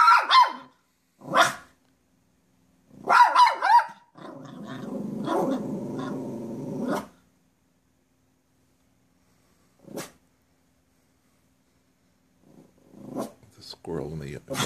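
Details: Poodle named Kate watching a squirrel in the driveway: a few short sharp barks, then a long whining growl-like cry of about three seconds, a lone bark, and a final burst of yips and whines.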